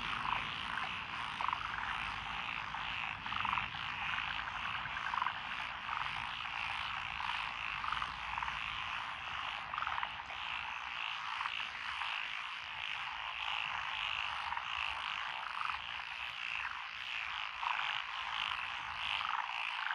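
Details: Twenty seconds of nighttime-style frog chorus in lotus rice fields, Echizen, Fukui, Japan, 12 June 2021, with five named frog species: thick, even croaking and trilling throughout, occasional stronger single croaks rising above the mass.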